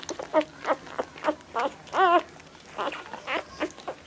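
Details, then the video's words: Nursing Labrador Retriever puppies jostling for milk give short, quick yelps about every third of a second, broken by one longer quavering whine in the middle, with soft squeaks trailing after. "Labrador puppies fighting for milk"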